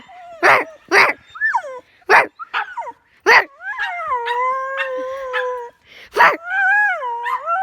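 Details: Pet dog producing strange sounds: several short yips and barks, then a long sustained howl-like whine held for over a second, followed by more yips and a rising-falling wavering whine.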